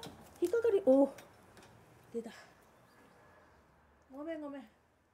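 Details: Kuro-chan, a black male cat weighing 4.35 kg, unwell and off his food for two days, possibly with a cold and treated at the vet with antibiotic and interferon injections; one drawn-out, arching meow near the end, preceded by human talk indoors.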